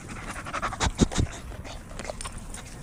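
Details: Dog at a dog park panting in quick, breathy bursts, with a cluster of three louder huffs near the middle, over a steady outdoor background hiss.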